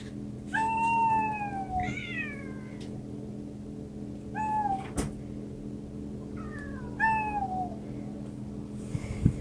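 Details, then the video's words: Pet cats meowing in a series of short and medium meows, some descending and others wavering, about four calls spread across the stretch, with a faint thud and a constant low electrical hum beneath. "말하는 냥이들"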